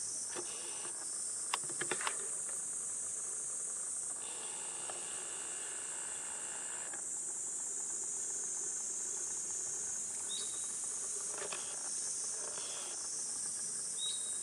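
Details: A continuous shrill cicada chorus on a 37°C July morning in Gifu Prefectural Centennial Park, Japan, swelling and easing in layered waves. Brief knocks sound near the start, and a thin whistled note comes twice near the end.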